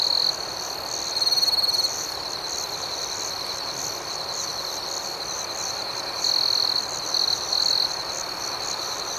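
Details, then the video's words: Crickets chirping at night, a continuous high ringing note broken by loud trilled bursts at the start, around 1.5 seconds and again from 6 to 8 seconds, with soft regular pulsing chirps higher up. "Nocturnal Serenade - Soothing Cricket Sounds"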